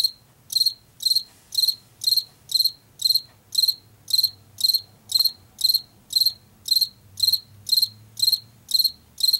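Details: Field cricket in Washington, the common late summer and fall species of fields and forest edges, giving a regular series of high pulsed chirps, roughly two each second, each a quick cluster of clicks, background otherwise quiet.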